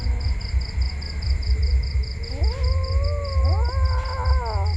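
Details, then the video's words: Kittens mew in overlapping calls that climb, hold and then drop, several voices at once. Heavy low rumble and a fast, regular, high-pitched beeping run through the recording. "Cute Kittens Scare Me"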